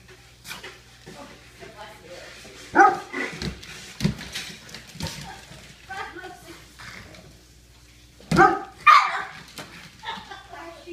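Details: Two dogs, a weimaraner and a pug, at play; several sharp, loud barks come in bursts with quieter grumbles between, while a person talks in the background.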